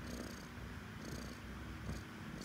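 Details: Domestic cat purring indoors while its owner talks with it: a steady, low, rumbling purr throughout, with soft hissing breath-like noise rising and falling roughly every second.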